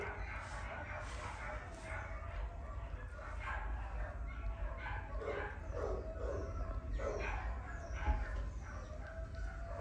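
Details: A Cavapoo dog yipping and barking in short, high bursts scattered through the clip, some whiny notes between, over a steady low hum.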